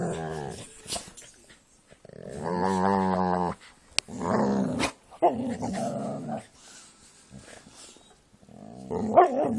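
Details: Jack Russell and pit bulls playing together indoors, a small room; harmonic growls and grumbling vocalisations in bursts of about a second, interrupted by sharp clicks and thumps of movement.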